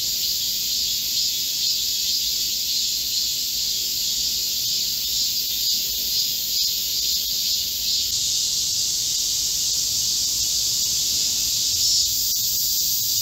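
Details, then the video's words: Korean cicadas in chorus in a green forest in midsummer heat, July 25, 2024: an unbroken high-pitched buzzing wall from many insects, one upper band dropping out partway through while the rest of the drone carries on. "Korean cicadas, a chorus in a midsummer green forest | 한국 매미들의 한여름 초록 숲속의 합창"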